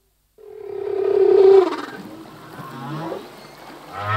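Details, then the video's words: Male humpback whale singing in the sea: a sustained mid-pitched moan swelling for about a second, then fading into softer wavering tones and a low rumble at the end. "Whale song - full length humpback whale song"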